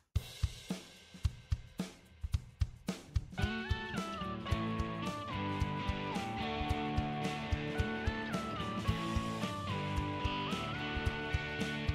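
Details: A band track plays throughout, with crashing cymbals, snare hits and a sustained melody stepping up and down. No animal voice is heard.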